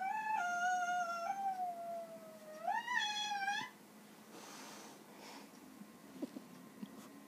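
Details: Angry ginger house cat, known to talk, recorded on an iPad: two long meows, the first steady and slowly falling, the second rising sharply then wavering, followed by quiet rustling.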